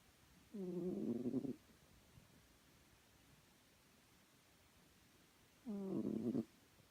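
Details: Snoring from Chloe, a sleeping house cat: rough, buzzy snores of about a second each, roughly five seconds apart, with soft breathing noise in the gaps.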